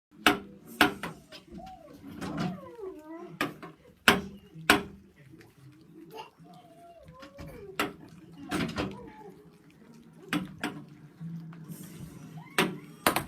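Rottweiler puppies give thin, wavering whines among sharp knocks and thumps indoors.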